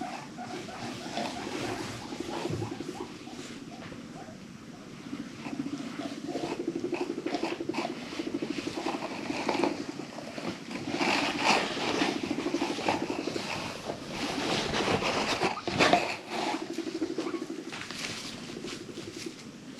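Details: Female pet guinea pig in a noisy mood, a continuous low rumbling purr with rapid pulsing, broken by short squeaks and clicks, with rustling and scuffling sounds throughout.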